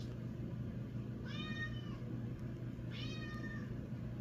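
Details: Pet Scottish Fold cat named Ari meowing to wake its owner in the morning: two clear harmonic meows about one and a half seconds apart, each slightly falling, over a steady low indoor hum.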